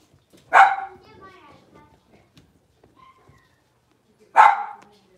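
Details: Six-week-old blenheim Cavalier King Charles Spaniel puppies from a litter of five, in their home puppy pen. Two loud, sharp barks sound about four seconds apart, with faint murmuring and soft rustles between them.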